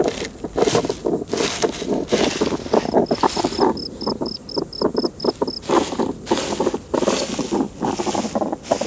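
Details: Garden hedgehogs at their woodpile in mating season, with a female testing a male's strength or two males battling. Harsh, noisy snorts pulse in rapid uneven bursts throughout, while an insect ticks a high, even series of notes midway.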